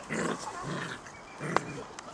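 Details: Six-week-old Golden Retriever puppies, ten of them playing wildly in a garden, give short, rough growling bursts, with a sharp knock partway through.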